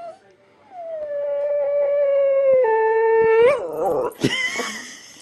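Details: Male whippet in Australia howling: one long, steady, clear tone with rich overtones held for about three seconds. It steps slightly lower midway, then ends in a wavering rise and a short squeaky yelp.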